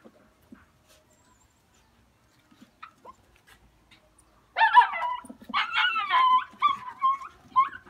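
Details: Hunting Jack Russell Terrier: near silence with faint ticks for four seconds, then a burst of high, strained yelping and whining cries in quick uneven bursts lasting about three seconds.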